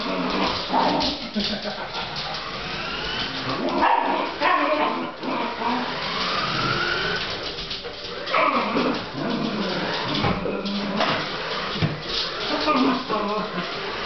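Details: Fox Terrier chasing a radio-controlled toy SUV, mixing whining cries with short barks, a swooping whine near the middle, a person speaking and the toy car's motor audible.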